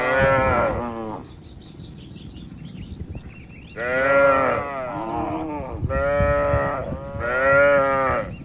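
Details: Calm, healthy tame cattle in a livestock pen, dozens together, giving loud harmonic moos: one moo at the start, a quiet gap with faint high chirps, then three long swelling moos in quick succession.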